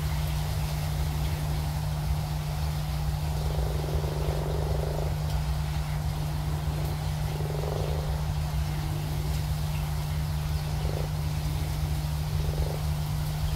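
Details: Big frogs at a pond give low, droning croaks in bursts of one to two seconds, repeated four or five times, over a constant deep hum.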